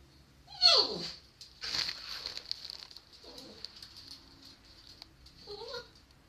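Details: Shiba Inu named Pochi whining with squeaky puffing sounds because it wants to go for a walk; a sharp high squeal falling in pitch opens, followed by softer breathy whines and a short rising squeak near the end, with a steady high hiss behind.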